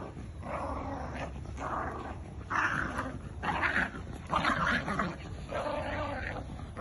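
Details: A Jack Russell and a Bull Terrier, two sibling dogs, play tug of war, giving gritty, rasping growls in uneven bursts, roughly one per second, some louder and longer than others.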